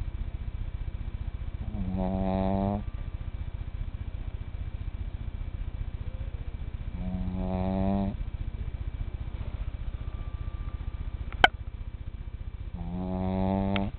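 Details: Cinny, a tiny male pet, snoring at bedtime, with louder snores possible. Three rasping, harmonic snores come about every five to six seconds over a steady low hum, and a sharp click sounds near the end.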